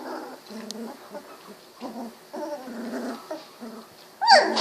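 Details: Golden Retriever pups aged 16 days, barking, growling and howling as they wiggle around: a run of low rough grumbling growls in short pulses, ending in a loud high squealing yelp.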